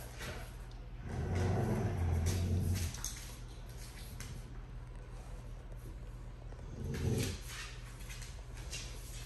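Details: Dogo Argentino growling during a tug-of-war game between Tyson, two years old, and Kilo, two months old: a low rumbling growl lasting about two seconds, then a shorter growl burst several seconds later over a steady background hiss.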